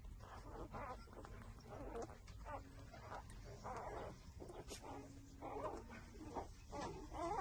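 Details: Six-day-old newborn puppies suckling at their mother while breastfeeding, giving short squeaky whimpers and squeals in repeated bursts about every half second, over a steady low rumbling background.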